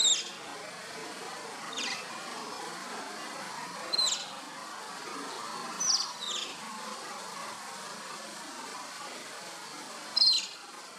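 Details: Asian small-clawed otter pups at play, giving short high whistled chirps spaced a few seconds apart, four or five in all, over a steady hiss of background noise.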